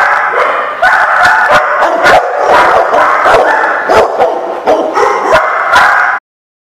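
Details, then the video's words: Several dogs barking at a dog lot on 9/11/15, a busy overlapping chorus of short sharp barks and higher yips filling the recording until it cuts off abruptly. "The Barking Lot"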